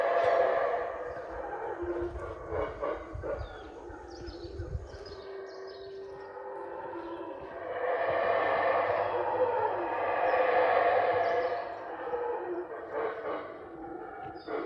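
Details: Howler monkeys high overhead at the top of the tree canopy, unseen, at the Mayan site of Yaxhá in Guatemala: deep, rasping, breathy roars that swell and fade in long waves, with a low rumble early on.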